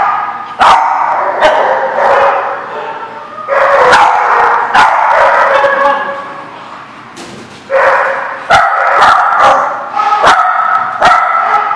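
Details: Dogs at a barking lot recorded on 25 April 2014, a dense overlapping chorus of barks and yips in loud bursts, with sharp clanks and knocks throughout.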